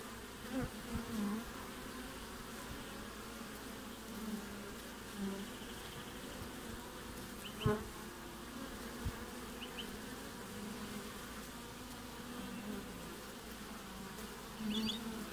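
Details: Honey bees active at a hive entrance during Australian winter, recorded 20 June; steady humming buzz with repeated louder fly-bys every few seconds and a few faint high chirps, likely distant birds.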